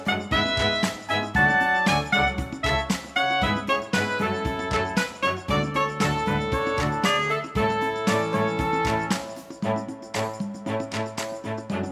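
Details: Lively jazz-style instrumental music with brass, piano and a steady beat fills the recording, and no animal voice can be picked out.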